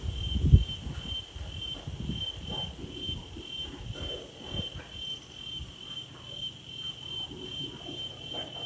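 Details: Daytime outdoors: a steady, high-pitched insect trill runs unbroken beneath gusty, rumbling wind.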